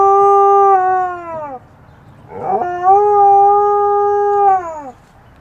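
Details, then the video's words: Siren-imitating howls from Phoenix, an Alaskan Malamute copying fire trucks, which he rarely did. Two long, steady, rich-toned howls each hold one pitch for over a second before dropping away, with a brief breathy pause between them. "Alaskan Malamute 'Phoenix' imitates fire trucks!"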